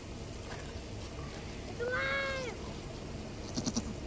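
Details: Goat in labour during her first kid's birth on a farm: a single sustained, slightly wavering bleat lasting under a second, mid-pitched with rich overtones, amid faint background noise and brief clicks afterward.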